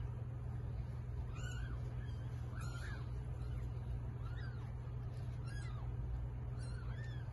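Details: Domestic cat giving birth to eight kittens. Thin, high, arched mews recur about every second or so, five or six in all, faint over a steady low mechanical hum.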